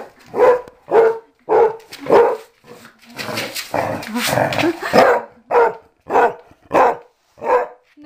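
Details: Steady, evenly spaced barks, about one every half second, from Mamie, an older outside dog of six or seven being trained to come inside; a brief noisy stretch of voices breaks the series midway.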